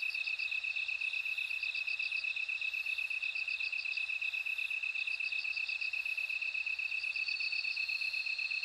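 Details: Bell cricket in a nature sound recording: short bursts of bright, bell-like pulses repeat above a constant lower insect trill, with a longer unbroken ringing phrase near the end.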